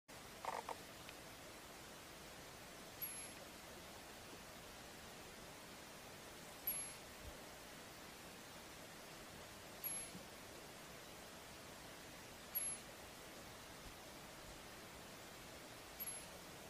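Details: Ground squirrel in South Africa warning of danger: short, sharp chirps spaced about three seconds apart, five in all, over a steady background hiss.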